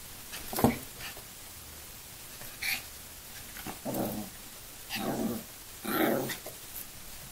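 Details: Two 5-month-old Yorkshire Terriers give scattered short yaps and low growly barks as they play.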